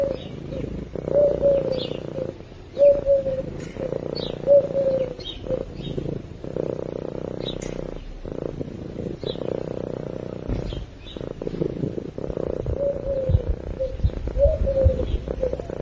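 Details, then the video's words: Purring of a sleeping cat close to the microphone, a throbbing low rumble in repeated breath-paced surges, with light bird chirps scattered faintly through the recording. "Cat Purring While Sleeping"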